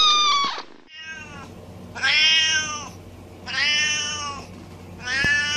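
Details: Cats and kittens in a compilation of meowing pets, each with its own voice: four loud, long meows in close succession, rich harmonic calls swelling and fading, with a faint steady hum underneath.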